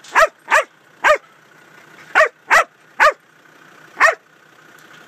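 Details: Huntaway working dog barking while moving cattle through a gateway: loud, short, single barks in an irregular series, eight in five seconds, with a faint steady hum behind.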